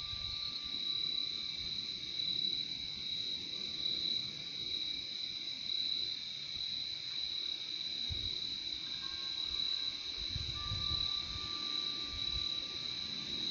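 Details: Crickets, recorded as a soothing nature soundscape, fill the air with a constant high, ringing trill over a faint second band, with a thin level tone coming and going and a couple of soft low knocks.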